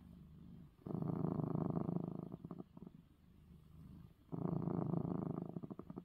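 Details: Purring male house cat just after receiving eye medicine; two long loud rumbling purr phases with a softer low stretch between them, the steady vibration clear throughout.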